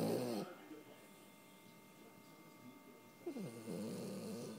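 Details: Deep-sleeping Puggle named Wrigley gives a short rasping snore at the start, then near silence, then a drawn-out, buzzy, throaty snore that rises and holds through the last second and a half.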